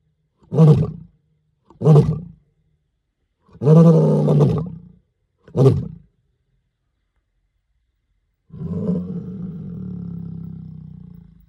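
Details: A male lion roars at night at Mala Mala Game Reserve, Greater Kruger National Park, South Africa. It gives deep, throaty bursts of half a second to a second with pauses, closing with a longer, lower rumbling groan.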